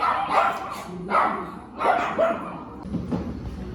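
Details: At a Nonhyeon dog cafe, Duyu the Maltese lets out loud, rough barks in quick succession, roughly one every second, trailing off into softer yaps at the end amid indoor murmur.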